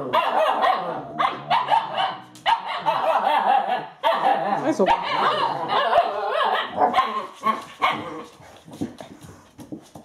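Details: Eight-week-old Alaskan Malamute puppies playing together during bad weather. They give dense bursts of yapping barks and yips, overlapping and irregular, about two per second, with short pauses between flurries.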